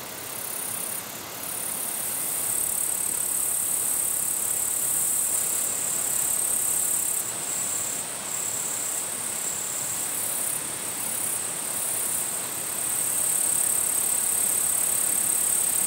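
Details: Katydid bush-crickets in their natural habitat in Japan, showing territorial behaviour: a shrill, very high, unbroken buzz holds steady throughout, rising into brighter bursts now and then, over a constant broad rushing hiss.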